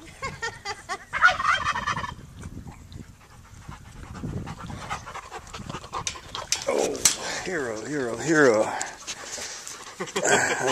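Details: Puppies give thin, rapidly wavering whines that rise and fall in a quavering pattern late in the stretch, after a quieter start with soft rustling and people talking nearby.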